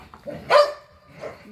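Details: A single sharp bark from dogs playing in a back yard, pit bulls and a Malinois, followed by a faint softer vocal sound.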